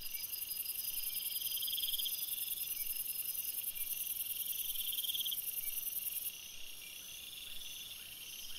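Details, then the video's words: Night forest crickets forming a shrill overlapping chorus: a very high steady ringing that cuts out near the end, beneath it beaded pulsed trills that swell and fade in turn. "Crickets Sounds"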